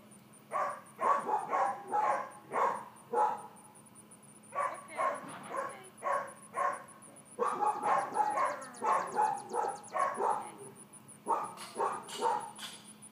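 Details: Female miniature dachshund puppy, four months old, excited during training to settle calmly, fires off bursts of rapid, ringing barks separated by brief pauses, with a faint pulsed high whine and hum behind.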